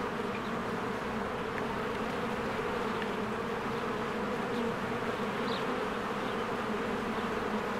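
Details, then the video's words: Many honeybees swarming in and out of their hive in spring among blooming flowers, filmed with a Canon EOS R: a dense, unbroken droning hum with a strong low band, dotted with a few faint, short high chirps. "1 Hour of a Beehive ASMR"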